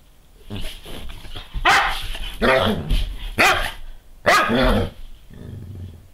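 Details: Female Doberman Pinscher playing just after sunrise, jumping in circles chasing her tail in a daily ritual; several short, harsh barks and yaps arrive in bursts, some growly, with a person speaking near the end.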